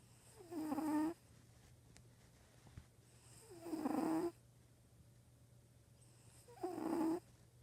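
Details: Eva, a pet cat, snoring while asleep: three drawn-out, breathy rasping snores, each about half a second long with a faint tonal buzz, spaced roughly three seconds apart over a quiet indoor background with a steady low hum.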